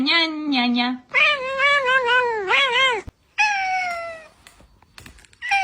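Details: Cat giving repeated loud meows: a low, flat opening cry, then a run of wavering, warbling meows, followed by a long, slowly falling wail and a quiet pause before a final short mew.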